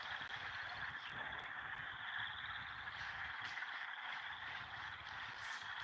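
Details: A dense frog chorus on a farm, growing louder each day over the past week: many overlapping trills form a steady, high, ringing wall of sound, with a faint distant giggling bird and a quiet voice.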